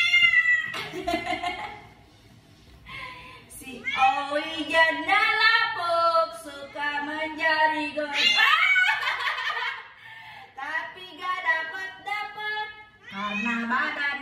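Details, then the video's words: Owie, an odd-eyed cat, angry: long, wavering, harmonic yowls and growling moans rise and fall in repeated drawn-out bursts, with short pauses between them, while a person talks and laughs in the background. "KUCING MARAH MARAH"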